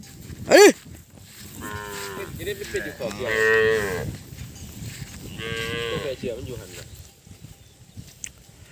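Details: Calves bawl in long, harmonic-rich moos, calling out after being separated from their mothers, which are far away, on a farm as cattle are herded along a road past baled straw fields.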